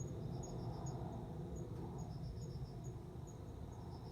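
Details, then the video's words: Male cricket singing to court a female, recorded on September 29 as she responds and they mate; high, thin chirps in short pulse bursts, with faint separate high ticks, over a steady low rumble of background noise. "コオロギの交尾 雄の鳴き声に惹かれて雌が応じる瞬間"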